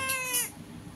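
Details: Short, clipped meow of a cat confronting a newly arrived black cat outside the window, tonal and slightly falling, lasting about half a second, followed by quiet room noise.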